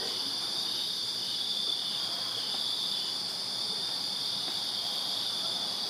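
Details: Crickets in a backyard in Virginia on a summer night produce an even, shrill, nonstop trilling, high and steady across the whole stretch.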